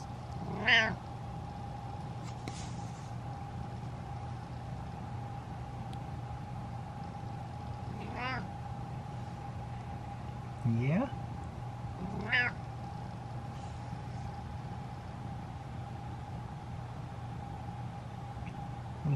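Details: A pet cat meows back and forth in hot weather, as if chatting about the heat: four short, bright meows at about 1, 8, 11 and 12.5 seconds, spaced by quiet stretches, over a steady electrical hum from a fan or appliance.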